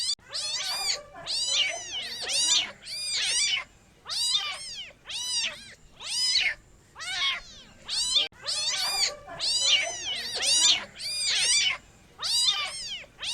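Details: Kitten meowing steadily, high arched cries tumbling one after another about once a second, several overlapping calls forming a busy, insistent chorus with short quiet gaps between bursts.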